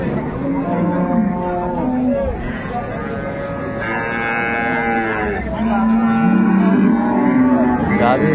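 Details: At the Ambari market in Dinajpur, improved-breed dairy cows and calves are offered for sale, February 2025. Several overlapping drawn-out moos rise and fall, with a louder, higher bellow midway, over crowd voices and faint music.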